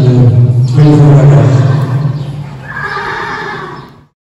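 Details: Friesian stallion at the KFPS Royal Friesian stallion inspection re-examination, 25 June 2021, Wergea, indoors: a loud, low, rumbling harmonic neigh for about two and a half seconds, then a fainter, higher, breathy tail that fades out near four seconds.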